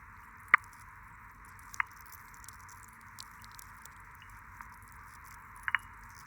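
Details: A sea urchin grazing on algae underwater, closing its toothed lantern, gives sharp, brief crunching clicks, three main ones spaced over several seconds, above a steady hiss; this chewing sound is studied as a water-quality indicator.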